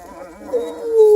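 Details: Two-week-old registered purebred Redbone Coonhound puppies from a breeder near Kingston, Ontario, Canada; one drawn-out whining note glides slowly downward and swells louder toward the end, with faint murmuring behind it.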